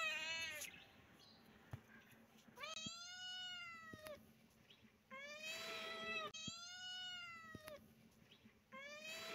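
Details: Repeated loud kitten meows, each a drawn-out arching cry lasting about a second, coming roughly every one and a half seconds with brief pauses, a low steady hum beneath.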